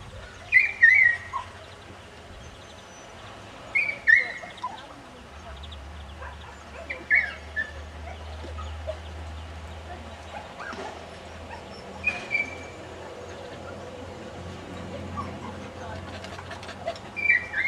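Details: Cocker spaniels at their kennel, the family of the puppy Jarvis, on the day he is picked up. Thin, high whines sweep downward in short bursts every few seconds over a steady low hum.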